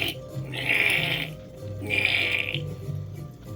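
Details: Unhappy squirrel calling in the background: two harsh, hissing bursts, each under a second long and about a second apart, over soft low musical tones.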